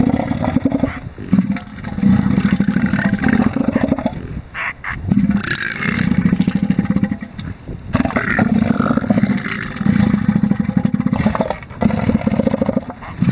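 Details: Male elephant seals David and Mario fighting over a harem of females on the beach at Sea Lion Island, Falkland Islands. Deep, rapid pulsed roars come in long rattling bursts, broken by short pauses, with scraping and shuffling between them.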